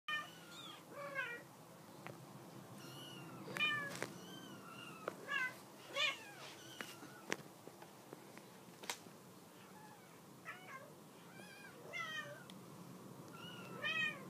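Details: Mother cat calling to her kittens, wanting them off the couch, at a shelter home: short, rising-falling meows and chirps scattered irregularly across the recording, with occasional sharp clicks and thumps in a quiet room.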